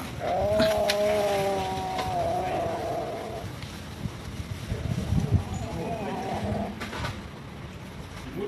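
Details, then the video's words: Hungry cats and kittens living at a pagoda, being fed rice and raw food: one long drawn-out harmonic meow lasting about three seconds, then a second, fainter meow, over rustling background noise. "Poor Cats and Kittens Pagoda Hungry"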